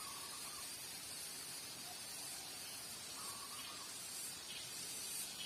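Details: A chorus of cicadas, locally garengpung, described together with spotted doves: an unbroken high, hissy buzz with slow pulsing, and two brief soft tones in the background.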